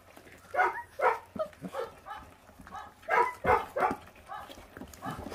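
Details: Feral puppies, five brothers aged 28 days, guarding raw meat as they eat; repeated throaty growl-barks, about three per second in clusters, loud and rough, with a person talking faintly underneath.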